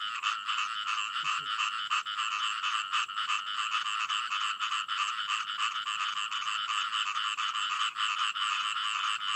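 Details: Frogs calling in a dense, continuous chorus of rapid rasping croaks that overlap without pause, steady in loudness, with a bright buzzy texture throughout.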